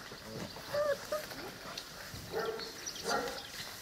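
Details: Presa Canario and Cane Corso puppies at seven weeks old give thin, drawn-out whimpers, a steady whine followed by two shorter wavering cries, over faint background rustling.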